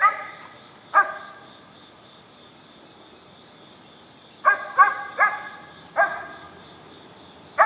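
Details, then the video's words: Alabama Mountain Cur pup aged four months barking up a tree at a squirrel; clear, tonal barks, one early and then a quick string of four, with a continuous insect whine behind. "Mountain Cur Pup Treeing Squirrel"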